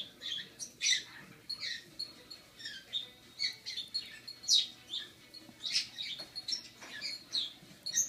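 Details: Rocky, a rescued baby squirrel aged six weeks, struggling to sit up as he tries carrot for the first time; a steady run of high, piercing squeaks and chirps, roughly one or two each second.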